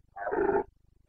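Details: Red deer stag of the Carpathians, Bucovina, Romania, in the rut of September 2022: one short, throaty, rasping roar about half a second long, with a regular low ticking pulse behind it.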